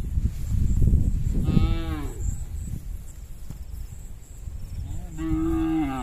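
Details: A tame herd of cattle crossing a small bridge on the way home to the pen; two drawn-out moos, one falling and one level, over heavy low rumble of hooves and wind.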